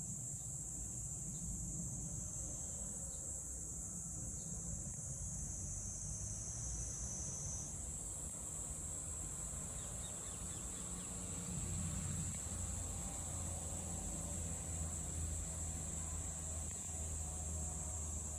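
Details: Cicadas calling in Meguro, Tokyo, on 27 June 2023: a steady, high-pitched buzzing drone holds throughout and shifts slightly in pitch midway, over a low, constant rumble of city traffic.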